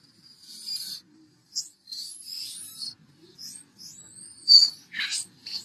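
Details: Young macaque in a tantrum, jumping and crying, gives shrill, thin whines and squeals: separate high tonal bursts, one rising and falling in a smooth arc, with short gaps of quiet between them.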